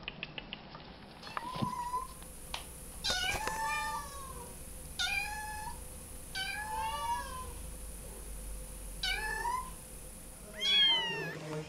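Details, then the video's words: A kitten indoors meowing repeatedly, about six drawn-out calls that rise then fall, spaced one to two seconds apart, with a brief clatter early on and a woman speaking softly nearby. "Lovely Kittens!"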